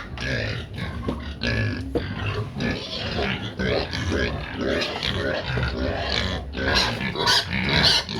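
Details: Several pigs noisy while wanting feed: a dense jumble of low grunts and harsh broadband squeals, overlapping and irregular, with a steady low rumble beneath.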